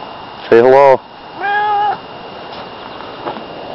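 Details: A person calls a loud hello, and Barney the cat replies with one even, sustained meow, his hello-like answer. Quiet room background follows.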